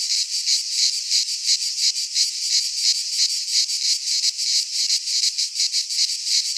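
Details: Cicadas of the Greek fauna call in a pine forest in midsummer, their high buzzing chorus pulsing regularly about three times each second, bright and insistent, with nothing else audible.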